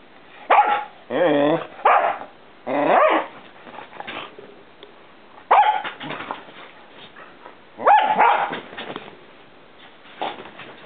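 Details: Two Pinschers, one a five-month-old puppy on his first day in Denmark, playing loudly together: bursts of high, yappy barks and whiny yelps in clusters, with pauses of low rustling between.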